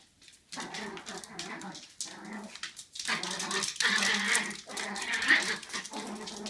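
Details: Dog vocalizing while an old American Cocker Spaniel ignores a Chihuahua puppy: a string of short, harmonic whines and yelps, some rising, in uneven bursts over a quiet background, louder toward the end.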